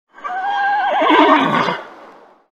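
A horse gives a loud, ringing neigh that breaks into a quavering, falling whinny.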